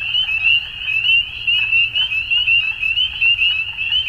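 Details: Numerous frogs calling together at dusk. Their shrill, rising chirps run on without pause, and faint lower clicks sit beneath the dominant high chorus.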